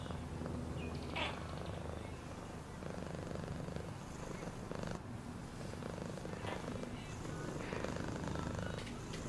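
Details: A cat's deep, even purr hums throughout, a rapid fluttering rumble beneath occasional soft scratchy sounds.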